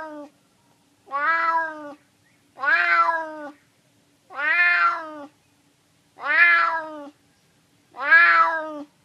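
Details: A hungry neighbourhood stray cat, a male, meows persistently for food: six steady meows, about one every one and a half seconds, tonal and slightly descending.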